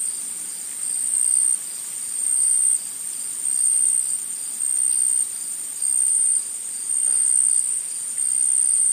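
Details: Insects calling in a forest, a piercing high-pitched buzzing trill held without break, its loudness rising and falling in steady pulses roughly every 1.3 seconds; a softer lower band of chirring runs underneath.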